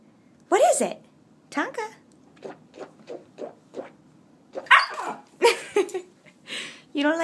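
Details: Nine-week-old Native American Indian Dog puppy, upset and yelling at its owner over a swishing noise: drawn-out harmonic yowls rising and falling, grouped in bursts with shorter yips between, indoors.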